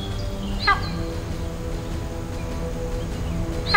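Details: In a drier inland zone of India beyond the mangroves, antelopes give two sharp, shrill alarm calls a few seconds apart, calling to one another to warn that at least one Bengal tiger is close by.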